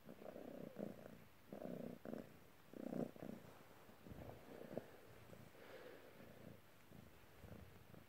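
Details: Lucky, a polydactyl Maine Coon cat, purrs indoors while kneading. The purr is a soft, low rumble that comes in rhythmic bursts, about one per second, and fades toward a quieter steady hum near the end.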